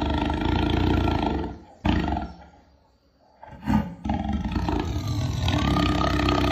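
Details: Jaguar: deep, rough growling roar in long broad bursts, a loud stretch, then a near-silent pause, then a sharp burst and a renewed rumbling roar.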